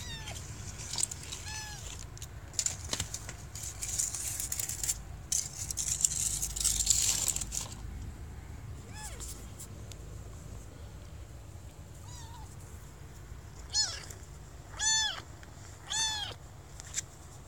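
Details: Kitten trapped in a deep pipe during a rescue in Bulgaria; thin, high meows arrive in a cluster near the end, after earlier scraping and hissing noise from the rescue work.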